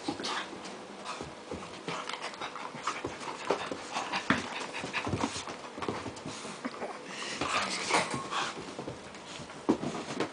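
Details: An eight-month-old Pit Bull playing with a rope toy indoors, breathing in fast, noisy, breathy pants and snuffles with scattered knocks and rustling from the play, and steady irregular bursts throughout.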